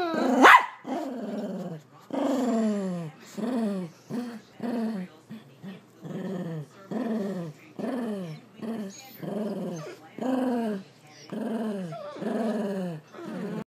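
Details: Bernedoodle dog scared of a blind mini-poodle, one sharp bark at the start, then a long series of short descending whimpering whines repeated roughly every second.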